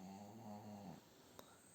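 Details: A sleeping female pug, lying with its owner, snores with a low, buzzy rattle that fades out after a second.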